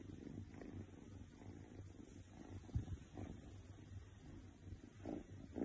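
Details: Contented Oriental Shorthair cat giving a soft, low, deep-rumbling purr of fast even pulses that continues throughout, over light background noise and occasional faint rustling.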